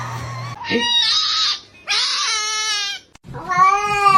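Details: A kitten gives three high, drawn-out meows, each a bright harmonic cry with a slight rise and fall.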